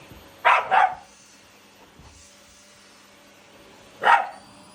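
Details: Indoors with a Shiba Inu and a Labrador battling the vacuum cleaner, a quick double bark rings out. After a few seconds of low hum comes one more loud bark.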